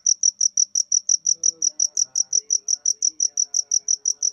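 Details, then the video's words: High, shrill cricket chirps repeated quickly and regularly, near six per second, over faint low tones in the background. "Jangkrik (Suara Jangkrik)"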